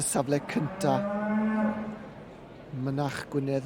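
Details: Welsh Black heifers: one gives a low, steady moo held for about a second and a half, with shorter, clipped lowing sounds just before and after.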